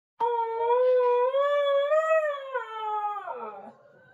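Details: Siberian husky indoors giving one long, sustained howl, starting steady, gently rising in pitch toward the middle, then wavering and breaking lower into a rough fade at the end; rich harmonic tone, no other sounds.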